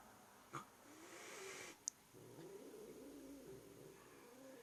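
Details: Domestic cat making an odd, low, wavering vocal sound, a rumbling murmur that dips and rises for about two and a half seconds after a brief click, in a quiet room.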